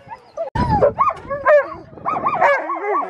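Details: Sled dog training of Alaskan Malamutes in Farren Park, Ontario, Canada, October 2020: a sharp thump, then looping, wavering woo-woo whines and yelps bending up and down, several dogs overlapping, ending in a rapid warbling series.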